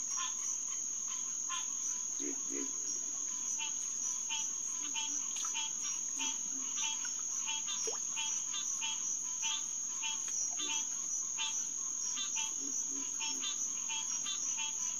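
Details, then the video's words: Green tree frogs (Hyla cinerea) in full chorus after dark at the SMNWR Headquarters Pond in June 2021. Quick honking calls from several frogs repeat in an almost unbroken stream, with a piercing insect whine above and occasional deep grunts below. "Green Tree Frog Chorus"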